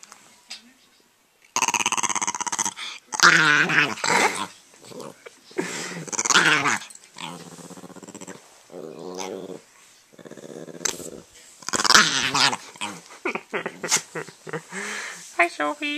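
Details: A female Italian Greyhound growls in harsh, throaty bursts that rise into snarling yelps, with a person speaking nearby.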